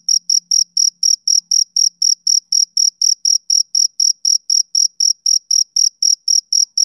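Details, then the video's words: Male cricket chirping on a summer evening: high, bright pulses repeated steadily about four times a second, each chirp short and clipped, with a faint low hum in the opening seconds and no other sounds. "Cricket Chirping Sound Effect"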